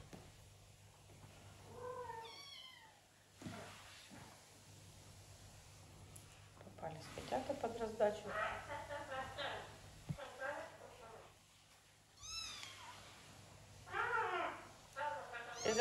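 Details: Kittens in a big house shared with many pets and exotic animals, just fed and playing instead of sleeping, give bursts of high, arching, harmonic meows, several in quick succession, amid Russian speech and occasional indoor thumps.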